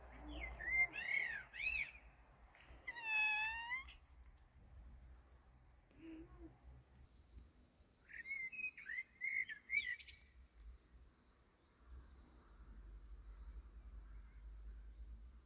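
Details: A male cat mating with a pregnant female cat gives one drawn-out, rising and falling harmonic meow, surrounded by short, high, bird-like chirping phrases before and after, with a low background hum.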